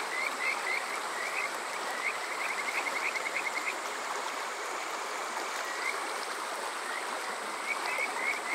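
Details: Kajika frogs calling through a summer night at Water Park Shirayama, Yokoze, Chichibu, Saitama, Japan, TASCAM DR-05X: quick bursts of rising whistled notes, a pause, then scattered calls returning, with a stream rushing steadily behind.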